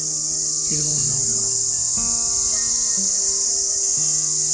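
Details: Crickets outdoors at a hilltop cottage in Lansdowne, Uttarakhand, amid quiet mountain surroundings: a continuous, even, high-pitched trill fills the background while soft music with sustained low tones plays alongside.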